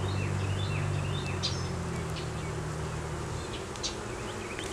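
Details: Honey bees humming during a beeyard hive inspection, where a laying queen and honey were found; recorded on a Canon Rebel T6 DSLR. Low droning buzz with steady tones that fade after three seconds, and faint chirping birds above.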